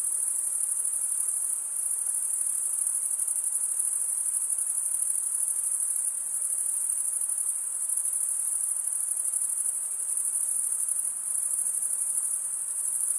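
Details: High-pitched, continuous cricket trill from males rubbing the toothed wing vein with the other wing, an even shimmering drone with small dips in loudness every few seconds and no other noise.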